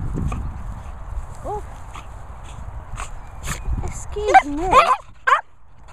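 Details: Two Cocker Spaniels fooling around in play: after a woman talks, a burst of high, wavering whines and yelps rises and falls near the end, with scattered knocks and rustling.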